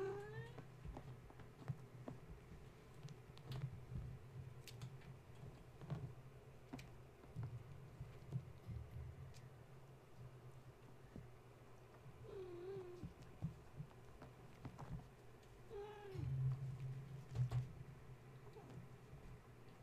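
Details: Bedtime kittens belonging to the cat Gaia, wound up after a space heater was switched on: scattered high meows at the start, around twelve seconds and again near sixteen seconds, with taps, scrabbling and a constant low drone.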